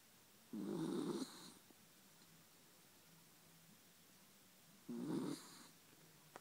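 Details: Sleeping pet dog knocked out beside its owner, snoring like a human: two long, rough, droning snores about four seconds apart, with a faint low hum between breaths.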